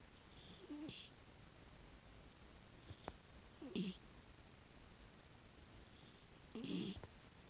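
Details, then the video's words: Rescue miniature dachshund, female, aged six, snoring while sleeping: three brief raspy snores spaced about three seconds apart, fairly soft, over a quiet room background. "寝息かイビキかわからないミニチュアダックスフンド Miniature dachshund I don't know if I'm sleeping or snoring"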